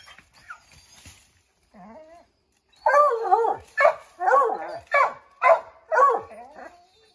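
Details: Redbone Coonhounds, a pack of five, baying at a chipmunk up an oak tree; a few soft sounds open, then rapid, loud barks with wavering howled tails follow about twice per second.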